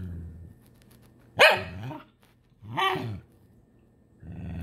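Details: A very frustrated Shiba Inu lets out two loud, strained yelping grumbles with arching pitch, about a second and a half apart, while a person speaks softly before and after.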